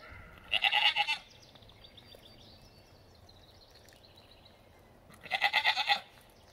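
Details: Nigerian Dwarf goats, kids romping about with their mothers and friends: two loud, high wavering bleats with a pulsing, tremulous quality, one near the start and one near the end, separated by a quiet stretch with faint background noise.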